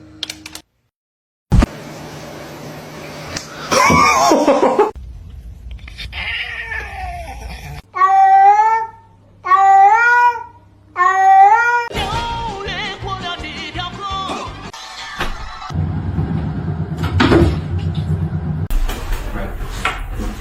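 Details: Domestic cat giving three closely spaced, wavering meows in the middle, each with a bending, rising-and-falling pitch, surrounded by thumps, rustling and indoor household noise.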